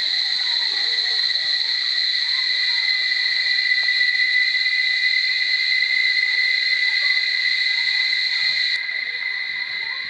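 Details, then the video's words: Loud cicada chorus in Barichara, a continuous metallic whine with a bright upper band that cuts out abruptly near the end. A lower drone carries on, with faint twittering calls in the background. "Chicharras en Extasis a Punto de Estallar en Flor... Barichara"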